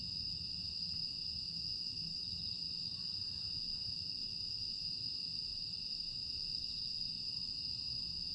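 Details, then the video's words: Continuous high, even trill of grass insects filling a quiet summer night at Aewol, Jeju, on 25 August 2022, steady in pitch and loudness, with a light low ambient murmur. "조용한 풍경과 풀벌레 소리"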